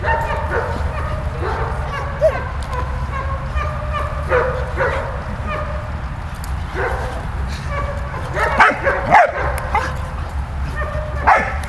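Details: Dog Malta at play with Bulat, giving frequent short yips and barks at an uneven pace, a louder cluster toward the end, against constant low-pitched background hum.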